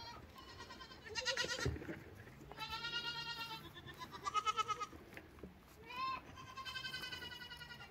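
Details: Lambs bleating: several wavering, nasal bleats in bursts, some overlapping, with a steady low hum underneath and quiet gaps between calls.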